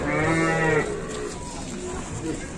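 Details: Single cow moo at a crowded Indonesian cattle market, Pasar Pon Ambarawa: one full, steady, harmonic low bellow lasting under a second, then fading into general background chatter and noise.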